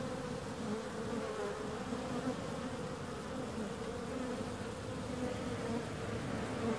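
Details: Steady bee hum, many wings blending into a smooth drone with faint flickering higher tones across the whole recording.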